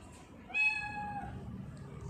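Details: Pet tortoiseshell cat at home, filmed 21 October 2019 while drinking water, giving a single bright drawn-out meow lasting under a second over faint background hum.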